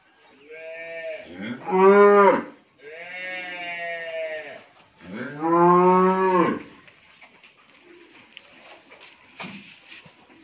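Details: Pregnant Friesian dairy cow, nine months into her third pregnancy, on a farm in Bhangura, Pabna district, Bangladesh: three drawn-out harmonic moos in ten seconds, the second and third louder and rising then falling, followed by quiet farmyard background noise.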